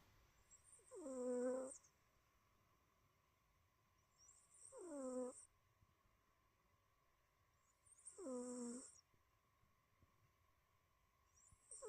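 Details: Sleeping tortoiseshell cat snoring softly indoors, each snore a faint tonal, slightly wheezy note with falling harmonics lasting about a second, repeated roughly every three and a half seconds, with a quiet high hiss and steady low hum behind.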